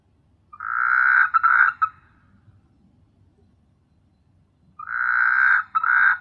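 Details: Frogs calling after dark on S.Hulhumeedhoo island, Maldives: two drawn-out, rasping, bleating croaks, each about a second and a half, rising slightly at the end and separated by roughly three seconds of near silence.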